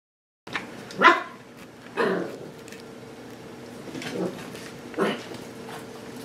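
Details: Seven-week-old puppies of Sparkle playing with their new play station indoors; short sharp yips and barks burst out at about one, two, four and five seconds over a steady low room hum.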